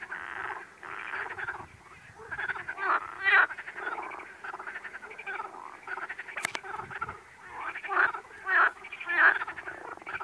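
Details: Frog. Several frogs give harsh, rattling croaks in uneven bursts, roughly one or two per second. The calls overlap into a loose, throaty chorus with a few brief sharper notes.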